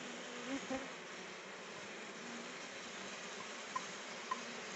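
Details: Honey bees collecting nectar from rhododendron blooms produce a constant, even buzz, with a couple of bees droning past close by near the start and two faint clicks later.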